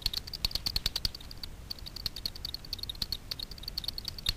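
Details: Over Miedwie lake in north-west Poland, Daubenton's bats hunt insects on the water at night. Through a frequency division bat detector their pulses come as crisp, fast clicks, like typing, in steady runs with brief gaps.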